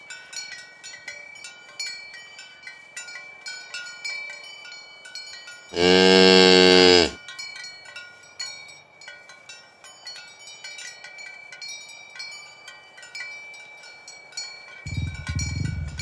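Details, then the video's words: Tame cattle herded along village roads toward the pen in the morning; one loud, deep, harmonic moo lasting just over a second breaks a steady background of clinking cowbells, with another low moo beginning at the end. "Asmr Sapi Moo | Suara Moo"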